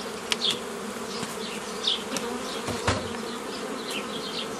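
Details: Dense buzzing of honey bees at an apiary on 15 May 2018, during old-style formation of nucleus colonies from a forager swarm; short high bird chirps and a few knocks break through the even drone.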